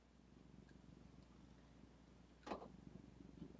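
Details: Female pet cat Zephy purring indoors by a computer desk; a soft, low, steady pulsing rumble runs through the whole stretch, with one brief louder rustle or bump midway and faint room hum behind.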